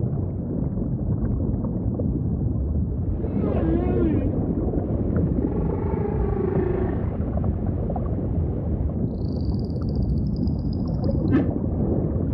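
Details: Humpback whale singing in ocean ambience, with a wavering mid-pitched moan, a groaning swoop, then a long high thin whistle followed by a sharp downward sweep, over steady low water rumble.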